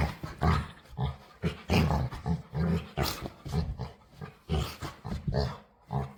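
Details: Playful dog begging to play makes odd, deep grumbling noises, a steady string of short growl-like pulses that keeps going for several seconds with only brief pauses.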